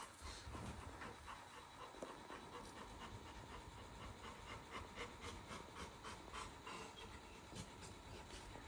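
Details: Little John, a Labrador retriever puppy, waking up alert as the camera turns on; soft, breathy panting in quick, fairly steady bursts of about three to four per second under a constant faint hiss.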